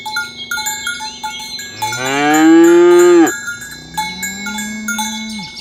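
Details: Morning herding of tame cows to the pen in a village: a loud, full moo that climbs and then breaks off, a softer second low after it, with cowbells clinking throughout.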